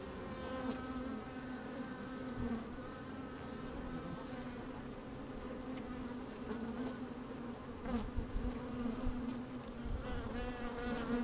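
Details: Honey bees moving through an opened hive in sunshine with a little wind: an even, thick hum with pitched overtone bands, occasional sharper buzzes and faint tapping as insects brush the microphone.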